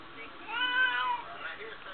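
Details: Female cat Smokie, chatting with her owner, lets out a long, smooth meow that slides gently downward, followed by a softer murmur near the end.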